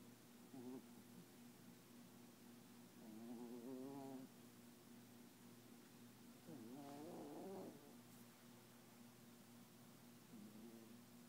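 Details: A Papillon dog asleep and dreaming, tongue out and eyes open: soft, wavering whimper-like murmurs in short bursts near one, four, seven and ten seconds, very quiet, with faint background hiss.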